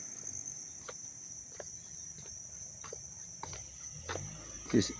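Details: Up-close chorus of crickets chirping in Dobbs Ferry, New York, in August 2025: a constant high-pitched trill with repeated sharp ticks and clicks, ending in a short louder knock.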